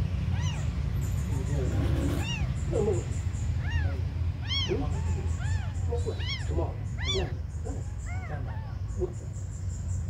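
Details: Tiny abandoned kittens crying in short, upward-bending mews, some clustered in quick pairs, a few fainter ones trailing off, set against a loud low-frequency drone.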